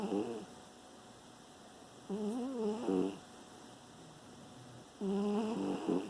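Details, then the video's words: Sleeping pet dog snoring indoors in September 2018, with wavering, nasal humming tones on the breaths, three snore bursts with long quiet pauses between them, a small room otherwise silent. "Penny Snoring"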